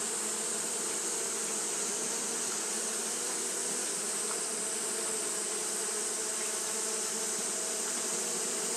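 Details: Japanese honey bees fanning continuously on a hot day, giving a dense, steady droning hum with low banded tones and a constant bright hiss above, without pauses.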